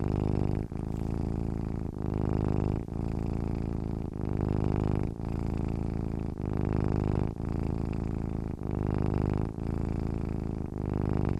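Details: Domestic cat purring while sleeping: a steady low rumbling drone, broken by short gaps about every one to one and a half seconds as breathing alternates, with no other sounds.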